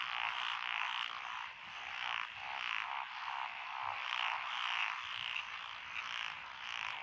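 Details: Many frogs croaking from lotus rice paddies on a country lane in Echizen, Fukui Prefecture, June 2021; a continuous chorus of rasping, pulsed calls surging and easing every second or two, with scattered high chirps.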